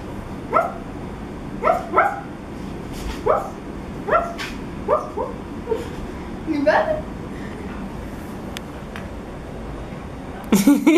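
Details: Maltese terrier puppy named Krembo, scared of slippers, gives a run of short high yapping barks about once a second, some sharp and rising, over steady background hum; a louder clatter at the end.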